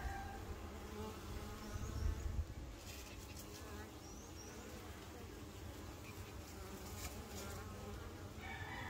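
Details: Honey bees busy working, a steady low droning hum of many wings filling the clip, with a distant rooster crowing faintly in the background.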